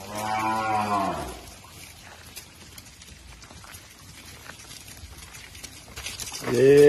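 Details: Gir cattle at a breeding farm: a loud, deep harmonic moo lasting about a second opens, followed by quiet rural background, then a second strong moo rises at the end.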